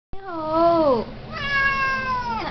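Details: Talkative male Siamese cat indoors, meowing because he wants to go out to play: two long drawn meows, the first falling in pitch at its end, the second steady and higher, with rich harmonics.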